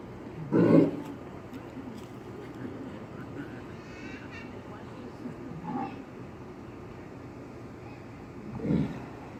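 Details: A female walrus at the Quebec Aquarium, June 2018, gives three low, rough snorts as she surfaces for air while swimming, each a short breathy burst, spaced several seconds apart.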